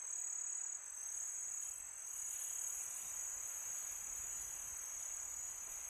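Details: Crickets at night on a peaceful summer night, a dense, steady high-pitched trill held continuously through the stretch, with a soft hiss of wind beneath.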